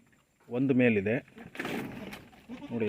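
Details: Tellicherry goat on a farm bleating in a short trembling burst, followed by a broad rustling, clattering noise, then the start of another tremulous bleat.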